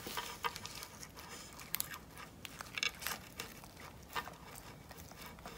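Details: A two-year-old male dog eating crocodile jerky for the first time indoors, loud crisp crunching: irregular sharp crackling bites and rustles scattered through the recording over a soft room hiss.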